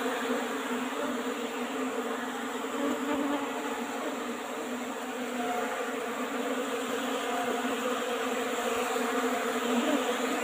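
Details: Asian honey bees buzzing during a honey harvest from an old-fashioned hive box, a continuous, fairly soft drone with a low fundamental and faint overtones, steady throughout.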